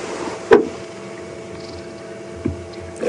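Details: A steady vehicle hum with a few brief clicks and knocks, and no animal calls.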